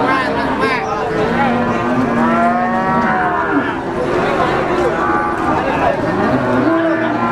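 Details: Overlapping moos from Brahman cattle at the Sumber Lawang livestock market, with bending and arching calls following one another almost without pause against a busy background of market chatter.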